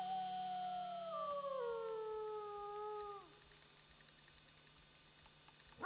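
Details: Friendly wolf howling in answer to a friendly human's howls: one smooth, slightly wavering tone that slides steadily downward over about three seconds, then stops abruptly, leaving a low steady hum and a final thump.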